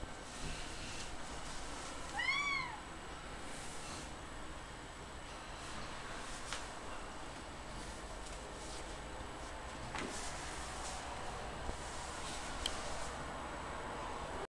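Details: A chatty domestic female cat, being talked to by a person, gives one clear rising-then-falling meow about two seconds in. Quiet room noise and a few faint clicks follow.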